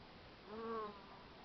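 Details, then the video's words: Honey bee at work: a brief droning buzz swells and fades over about half a second, its tone dipping slightly as it passes, above a steady soft background hiss. "Honey Bee Working"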